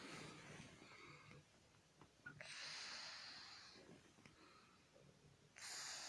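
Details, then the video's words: Titan, a 31-year-old Scottish Fold cat, lightly snoring during a daytime snooze. Soft, breathy hissing breaths come in broad bursts a few seconds apart, and the room is otherwise quiet. "Titan - worlds oldest cat sleeping and snoring away"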